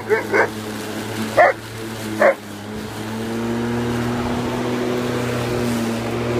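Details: Kavik, an Alaskan malamute, attacking a lawn mower: four short harsh barks in the first two and a half seconds, then only the steady drone of the running mower engine.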